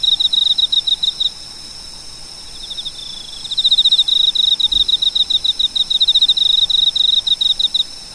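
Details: Cricket chirping in quick, evenly pulsed high trills, one short burst followed after a pause by a longer continuous run of pulses lasting several seconds, over a quiet background.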